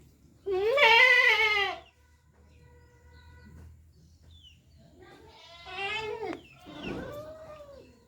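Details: A goat gives a loud, wavering bleat, followed by two shorter, rougher bleats.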